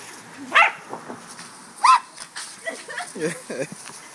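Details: Corgis snapping at a hose's water jet give two loud, sharp barks about a second apart, followed by quieter yips and short grunting sounds against a background hiss of running water.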